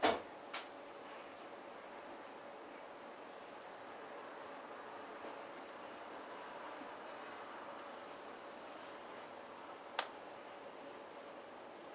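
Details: Quiet indoor hiss broken by a few sharp knocks or clicks near the start and at ten seconds, with no animal calls.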